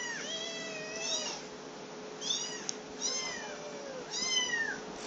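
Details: Hungry black kittens, three to four weeks old, one female with a higher voice and one male with a lower voice, making a fuss; repeated high wavering meows roughly every second, arched and overlapping, over a low steady hum.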